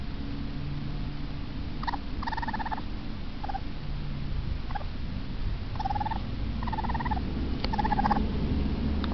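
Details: Pair of baby raccoons, frightened at being out of their den inside a house, utter repeated quavering chirps in short trills every second or so, set against a constant low-pitched background hum.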